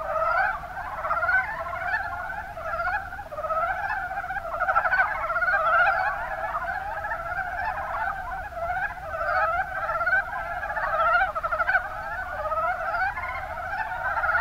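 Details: Mountain brown frogs calling in Kuma Basin, Kumamoto, Japan: a dense, continuous chorus of many overlapping rapid, rattling croaks, with steady pulsing and no other clear sounds.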